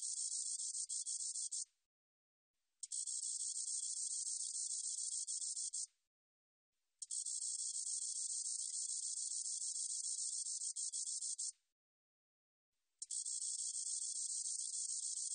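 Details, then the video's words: Spotted meadow katydid song from a 2020 National Institute of Biological Resources recording: four very high, hissing buzzy trills about three to four seconds long, each with faint ticks, separated by clean one-second silences; no other sounds. "점박이쌕쌔기, 여러번 듣기, 곤충소리"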